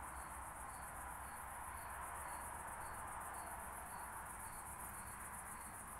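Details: Ticking series from an oak bush-cricket, Starnberg, Germany, 18 July 2023, converted by a Pettersson D 100 ultrasound detector: evenly spaced short bursts, a little under two per second, set in a steady wash of hiss.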